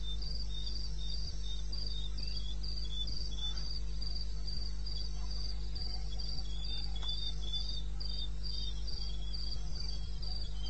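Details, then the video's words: Crickets calling in the wilderness of eastern Botswana at 02:30 AM on 21 May '16: high, evenly spaced chirps repeating about three to four times a second, a second fainter chirping line beneath, over a steady low hum. "1 Hour cricket sound"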